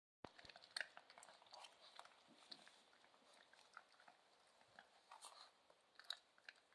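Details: Central Asian Shepherd Dog puppies at dinner indoors, crunching and chewing food in irregular bursts of sharp clicks and crackles, with louder bites near the start and toward the end.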